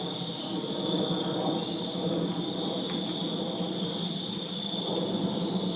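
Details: Backyard crickets in Virginia on a summer night give a constant high ringing trill over a noticeable steady low drone, with a couple of brief faint clicks mid-way.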